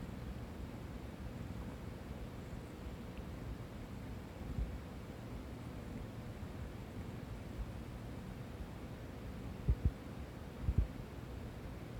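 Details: A low steady hum and soft rumbling fill a quiet room, broken by a few brief thumps, with no animal voice.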